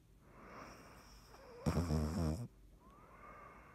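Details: Dottie, a sleeping cat, snores once with a rattling, throaty rumble lasting nearly a second, low and buzzy with faint breathing before and after in a quiet room.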